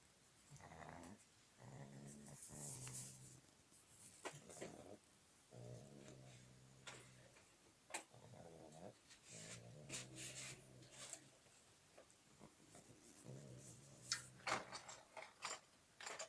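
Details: Juliet the pug sleeping at the Yasnaya Polyana animal hotel in Petrozavodsk, beside Melissa the chihuahua. Low, buzzy, rasping snores come in breathing cycles about every four seconds, with small clicks and rustles between breaths.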